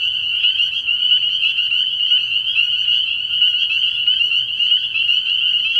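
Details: Dense chorus of spring peepers at a frog pond at night early in the year, many shrill high peeps overlapping into an unbroken ringing drone, with a faint low intermittent pulsing hum below.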